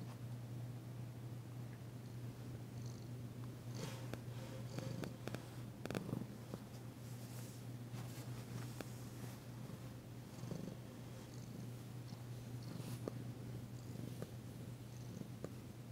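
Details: Massaged female cat Danci keeps up a constant deep purr, her first since arriving in her new home, while rustling and handling noises crackle intermittently over the rumble.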